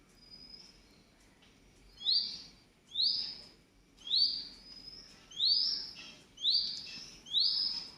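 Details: Squeaks from a rescued baby squirrel during milk feeding: piercing upward-sweeping chirps repeat roughly every second, seven in a row after a quieter opening, with only faint hiss between them.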